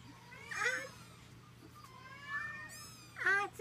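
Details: Munchkin kittens, three babies of Mikan at 21 days old, make three separate meows: a rising-falling one early, a softer drawn-out one mid-way, then a sharp high squeak, with a faint low hum behind.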